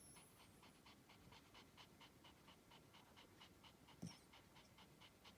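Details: Sleeping spitz snoring softly in a steady rhythm of short, breathy wheezes about three times per second, with one brief click near the end.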